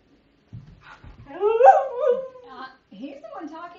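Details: Ira, a pet dog scolded for going potty indoors, answers back with a long wavering whine-howl, climbing in pitch then sagging, followed by shorter talkative moans, while a woman scolds.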